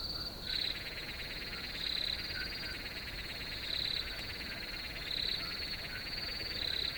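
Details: Crickets in a field: a steady, high, ringing trill runs throughout over a dense buzzing layer, with louder pulsed bursts about every one and a half seconds.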